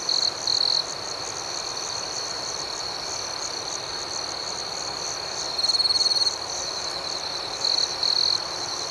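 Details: Crickets chirping through the night form a continuous high trill, broken by louder pulsed bursts at the start, in the middle and toward the end.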